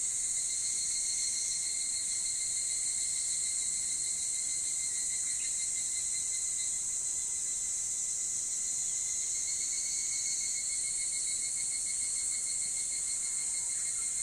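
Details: Evening cicadas calling on a summer morning before dawn: a dense, steady high-pitched ringing chorus that holds unbroken for the whole stretch, with a fainter lower tone beneath it and no other voices.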